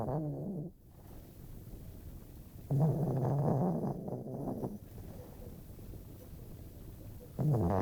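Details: Female pet dog asleep indoors, snoring loudly enough to be heard down a hallway; rough, rumbling low snores come in bursts, one long burst of about two seconds between quieter breathing.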